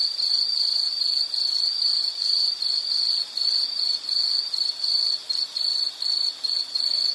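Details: Nature sound of an insect: a high, piercing pulsed trill broken into short bursts, roughly one per second, the gaps growing clearer toward the end.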